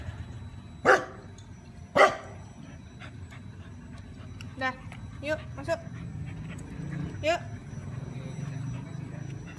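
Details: Dog taken outside to pee, giving two sharp harmonic barks close together near the start, then quieter yips and voices of people talking over a low background hum.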